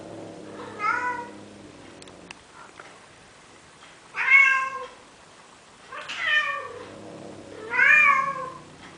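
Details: Courting male cat in Athens, Greece, trying to persuade a female Siamese to mate: four rich harmonic meows roughly every two seconds, some rising then falling, over a faint low hum.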